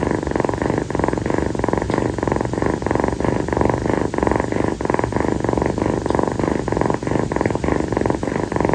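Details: Kii, a rescued female calico kitten, purrs while lying on the owner's feet on a hot tropical night after playing. The purr is a steady, rhythmic rumble with evenly spaced pulses throughout, close and loud in a quiet indoor room.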